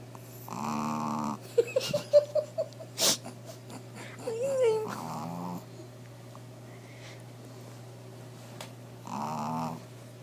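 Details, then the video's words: Sleeping Shih Tzu Fifi gives rough, harmonic snores near the start and end. Between them come faint squeaky whistling tones, a sharp click and a brief murmur of voice, over a constant low hum in a small room. "Shihtzu snoring"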